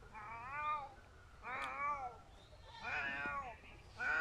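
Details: Domestic cat crying indoors: three drawn-out, wavering meows, each about half a second to a second long, rising then falling in pitch, spaced about a second apart, with a further cry starting at the end.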